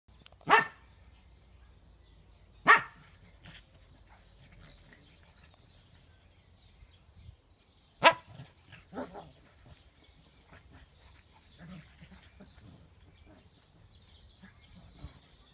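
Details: Chihuahua attacking a shih tzu, acting like a big dog: three sharp, isolated barks spaced a few seconds apart, followed by softer yaps and scuffling in a quiet room.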